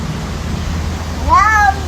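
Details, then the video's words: Domestic cat indoors giving a single brief meow that rises and falls in an arch, over a low background hum, as a person nearby calls out greetings. "funny cat sounds"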